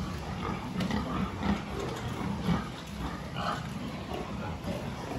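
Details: Health check at a pig farm, 26 October 2023: short, deep grunts roughly once a second over a noisy pen background with clanks and faint speech.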